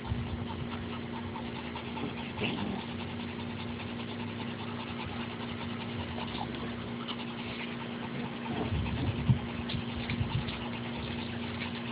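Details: Steady low engine-like idling hum with a faint background murmur and a few brief knocks, and no animal voice stands out.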